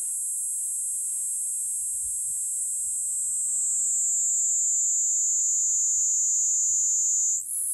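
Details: A small Kuroiwa cicada, about 2 cm long, in Okinawa sings a loud, steady, high, shrill buzz that runs unbroken, calling even in the rain.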